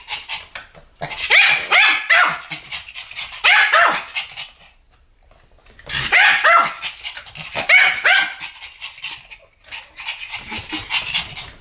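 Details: Pomeranian duet, two dogs yapping together: dense runs of quick, shrill barks, about three per second, in two long bouts split by a short quiet gap near five seconds.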